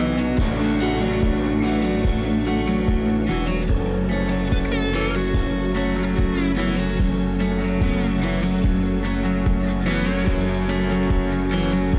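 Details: Loud instrumental music with guitar and a thumping beat covers everything, and no animal sound is heard.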